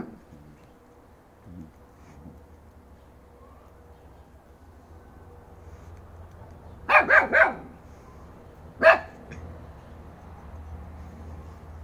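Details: A yard where a 3-month-old Fox Terrier puppy charges at a 2.5-year-old Alabai female. After a long quiet stretch with faint background hum, a fast run of three barks breaks out, then a single bark two seconds later.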